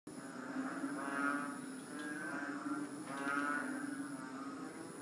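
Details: Three-inch frogs give low, drawn-out droning calls that sound like a herd of cows mooing. Several voices overlap and swell in two broad waves, with a steady high hiss in the background.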